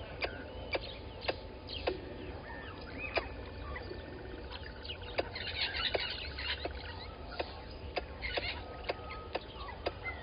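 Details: Squirrel alarming at a water monitor lizard below the waterhole camera at Gowrie dam, Djuma Game Reserve, Sabi Sand Wildtuin, South Africa, 11:45 on 10/04/20; sharp clicking chips repeat about twice a second, with birds chattering and whistling behind.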